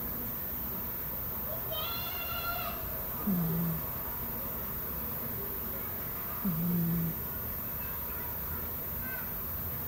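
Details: Snoring from a cat fast asleep: two low, droning snores about three seconds apart, each under a second long. A brief faint higher sound comes early on over steady background hiss.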